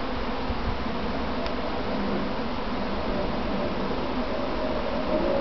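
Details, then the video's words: Within a practice swarm of domestic honey bees beside their box, a constant dense buzzing hum of many wings, steady and unvarying, with a short faint tick early on. "Inside a Honeybee Swarm"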